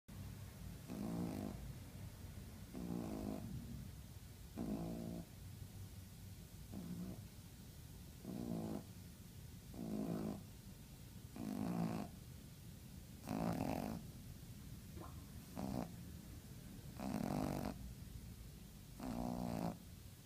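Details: Pug named Bartolo snoring while asleep indoors: rough, rattling snores in regular bursts about every two seconds, each lasting under a second, with quiet breathing gaps between them.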